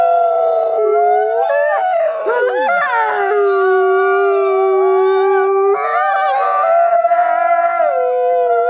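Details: Gray wolves born in captivity at a New York conservation center howl as a group for social glue; several long voices layer, one sliding steeply down near two seconds, a low steady note held from three to six seconds.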